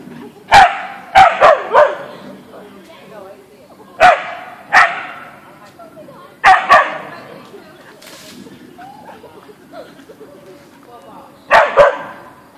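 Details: In a backyard encounter with a deer, Boeing the Siberian Husky (Ausky) barks repeatedly over twelve seconds: clusters of two or three sharp, mid-pitched barks separated by short pauses, with faint softer sounds in between.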